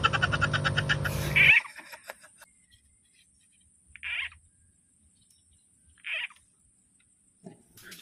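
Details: Frog call played back as a lure while fishing, said also to attract snakes; short, harsh, mid-pitched croaks spaced about two seconds apart, after an opening burst of loud noise and a quiet background.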